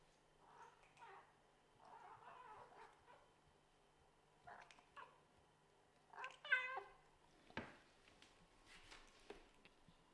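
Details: Kittens of a Scottish Fold mother and British Shorthair father fight hard over a favourite bed. Soft, short mews repeat through the first half, then a louder, strained meow and a few scattered thin cries follow.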